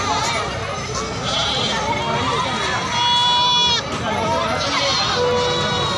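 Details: Ajmeri and Totapari goat kids at the Kalpi goat market near the Kanpur–Jhansi highway, 20 September 2022: a loud, wavering, trembling bleat near the three-second mark, with fainter bleats among constant crowd chatter and market bustle.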